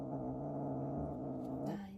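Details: Rescued kitten at a shelter cat cafe, still afraid of people and threatening, growling steadily in a low, buzzing, harmonic drone for nearly two seconds before the tone shifts and a faint rustle ends it.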